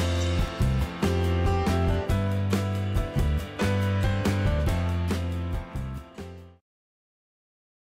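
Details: Loud, steady instrumental music with a rhythmic beat fills the recording and then cuts to silence, with no animal voice present.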